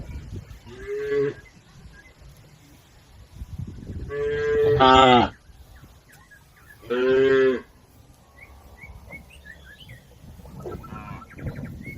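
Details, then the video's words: Cattle herd crossing a river to the farm pen; several moos, one near 1 second, a loud pair around 4.5 to 5 seconds and another at 7 seconds, with a few faint bird chirps afterward. "Bunyi sapi"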